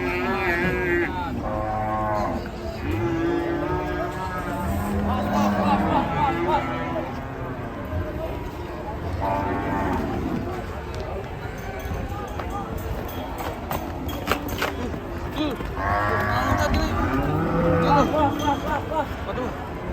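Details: Angry, raging cattle give a run of drawn-out bellows, repeated and overlapping, deep and rich in harmonics, over a constant low background noise.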